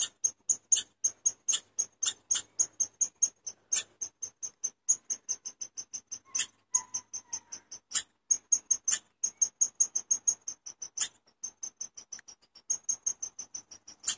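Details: A long, persistent run of chipmunk chirps: crisp, high, evenly repeated notes at roughly four per second, with occasional stronger, rougher accents, continuing for over fourteen seconds.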